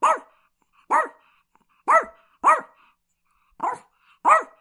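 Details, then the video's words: Chihuahua giving six crisp, high-pitched barks spaced under a second apart in a quiet indoor setting. "Chihuahua Barking Sound Effect"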